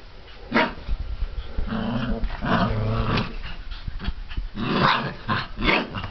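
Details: Mastiff puppies from litter K, 34 days old, giving a series of short, rough, harmonic growls and yaps in bursts. Several louder barks fall near the end, with shuffling and knocking noises in between.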